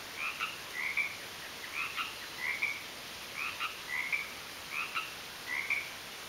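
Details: Garden frogs give clear, short chirp-like croaks, roughly nine in six seconds, some doubled in quick pairs, each with a fainter lower tone beneath, against a steady high-pitched background hiss.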